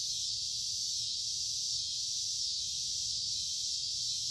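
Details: Loud chorus of cicadas along a wooded creek during the middle of summer on a humid, warm day, an unbroken high sizzling drone gently pulsing in intensity.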